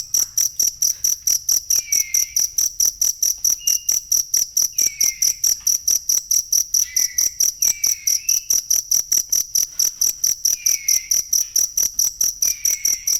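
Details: Genuine cricket chirping used as tutor sound for songbirds: high, metallic pulses repeating without pause at a steady rate, accompanied by occasional soft, short bird whistles further back.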